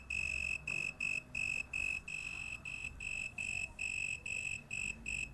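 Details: At night, an insect sings a shrill, pure-toned trill in short bursts, about three each second.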